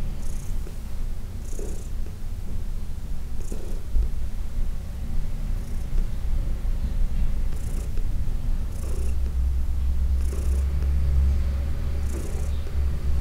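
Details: Senior cat Heidi, adopted from the Humane Society of New York City, purrs through a massage on June 17, 2021: an unbroken deep throb that swells louder near the end, with scattered soft rubbing noises.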